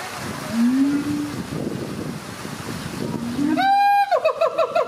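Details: Siamang duet from a captive family at ZooTampa in Tampa, Florida, calls that strengthen the parents' bond: two low rising booms, then a sudden run of fast, ringing harmonic barks near the end.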